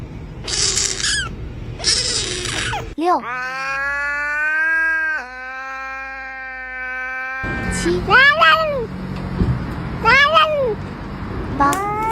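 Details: Domestic cats making odd, cute, soft and scared sounds: a sustained harmonic wailing meow, then short rising-falling arched mews repeated about every second, with some background noise.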